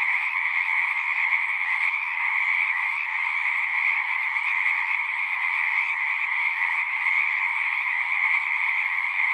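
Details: Pond in a horse pasture alive with singing frogs, taped on a Zoom 6: a thick, continuous high-pitched chorus of overlapping peeps and trills holding an even level from start to finish.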